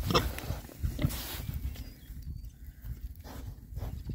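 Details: Rare-breed Oxford Sandy and Black boars, six of them, out on a winter forage between storms; deep grunting and snuffles, a few sharper bursts near the start, then softer low rooting noises.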